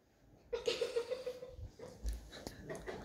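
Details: Obi, a chocolate Labrador Retriever whose owners had lost him, gives a short, high, wavering whine that pulses several times and fades within a second. Quieter knocks and rustling follow, with people calling his name nearby.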